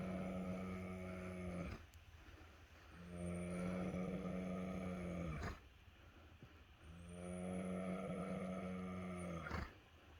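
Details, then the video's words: Sugar, a very tired pregnant Gypsy Cob mare, snoring: three long, low, droning snores of about two to three seconds each, rhythmically spaced, with quieter breathing gaps between them. "Sugar the very tired pregnant gypsy cob snoring"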